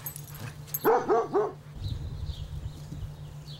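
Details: Basset Hound father and son, Lotso Bear (Toby) and Noble, reunited after Lotso's puppyhood; three quick harmonic barks or yips in a row near one second, followed by quieter shuffling and a steady low hum.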